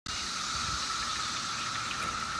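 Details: Periodical cicadas, mostly Magicicada septendecim, in a 17-year emergence in Maryland on 3 June 2021: male chorus in the trees overhead calling to lure females, a steady droning whine with a pure, unbroken, UFO-like tone farther off.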